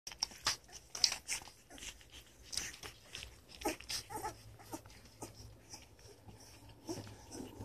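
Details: German Shorthaired Pointer puppies, two and a half weeks old, nursing in Eugene, Oregon; soft clicking suckling noises, faint snuffles and breathing, with occasional tiny squeaks in a small indoor room.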